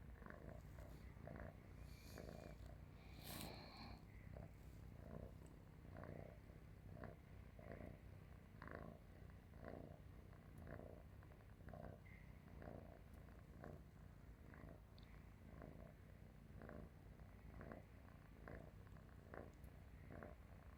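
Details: Sleeping pet cat lying on a person's stomach purrs in a deep tractor-like rumble, steady low vibration with rhythmic breathing pulses about once a second, a brief faint higher squeak near the start, otherwise quiet indoor setting.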